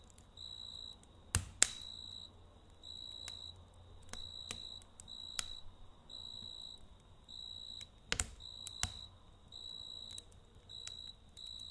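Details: Crickets calling at night by a campfire: evenly spaced bursts of bright, trilled chirping repeat every second or so, while a few loud wood pops and a soft fire hiss run beneath.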